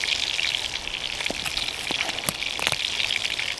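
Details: Rain patters and crackles steadily in a woodland camp, with dense hissing drops and sharp taps and no animal voices.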